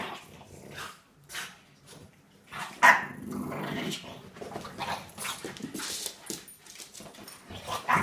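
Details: A female Staffordshire Bull Terrier gives rough, low growls and short snorting bursts in playful bouts while playing with a French bulldog.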